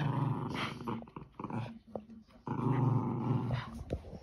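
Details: Lakeland Terrier and Border Terrier pups playing tug-of-war over a toy in Hereford, with rough, rumbling growls that surge in bursts and a short gap near the middle, plus scuffling noises.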